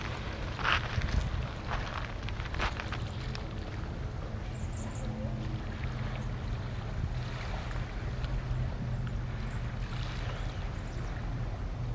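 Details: Steady low rumble of wind and boat noise over water, with a few knocks and no clear animal calls. No distinct animal voice stands out.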